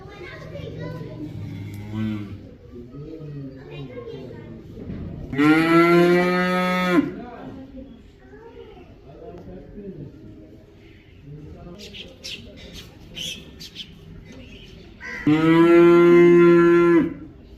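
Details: Cow (Bos taurus), moo.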